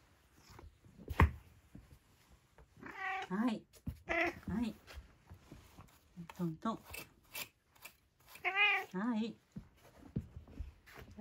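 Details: Domestic cat meowing around its dinner indoors, three separate wavering meows spread across the stretch, mixed with a person talking, sharp taps and clattering in a small room.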